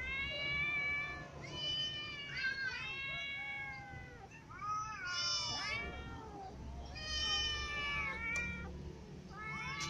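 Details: Ginger cat that was clawed by a new white cat and now eats lying down; repeated drawn-out harmonic meows, some rising then falling, several in quick succession with short gaps, over low background rumble.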